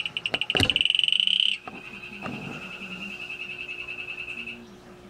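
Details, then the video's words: Male Atelopus hoogmoedi calling: a rapid, high-pitched pulsed trill of about one second that builds in loudness, followed by a fainter, steadier buzzing trail lasting several seconds. "Male Atelopus hoogmoedi calling"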